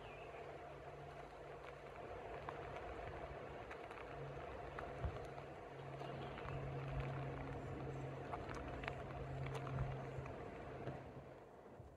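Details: Only a low, steady rumble of distant traffic with a droning hum is heard, and no clear animal calls stand out.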